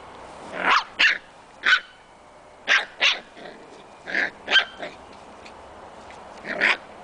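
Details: Scottish Terrier puppies, six weeks old, at play in their outdoor pen, letting out a steady run of short high-pitched barks and yips, about ten bursts over several seconds, some doubled in quick pairs.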